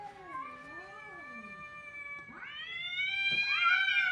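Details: Kittens crying in long, sustained, tonal wails; a low wavering cry gives way to higher, steady drawn-out meows that swell louder toward the end.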